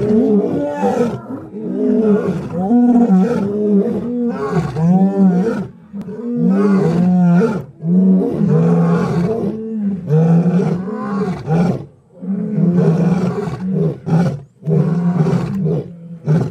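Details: Lion calling in a long series of deep, throaty grunting roars, each a short swelling moan repeated about every second, in several bouts separated by brief pauses, with no other sounds.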